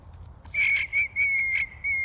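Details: A worried alpaca gives its alarm call: a shrill, whistle-like tone with bright overtones. It comes in a quick run of four pulses, each about a quarter second long, separated by short gaps, and ends on one more held note.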